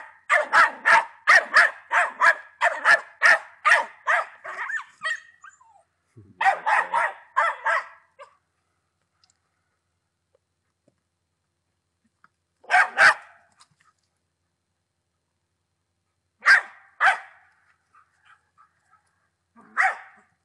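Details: Patterdale Terrier, a 10-month-old dog, barking in a rapid run of sharp yaps for about five seconds, then short bursts of two or three barks separated by silent pauses.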